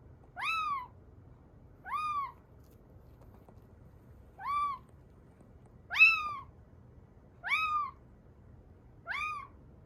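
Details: Young rescued kitten, estimated three to seven weeks old, calling in a mix of affectionate, sleepy and hungry moods; six high, arched mews, each rising then falling, repeated about every one and a half seconds over a faint hum.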